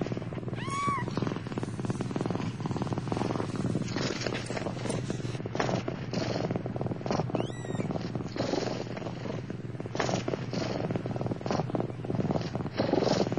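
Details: Seven newborn Turkish Van kittens, born 4 November 2009 and packed tightly in their nest, purr in a steady low rumble broken twice by brief rising mews.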